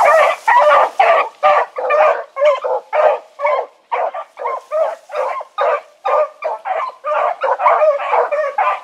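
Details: Four-dog pack out on an evening run, 16 August 2014, dogs named Choco, Dino, Johnny Ringo and Mingo; fast, fairly even barks around two per second from several dogs overlapping.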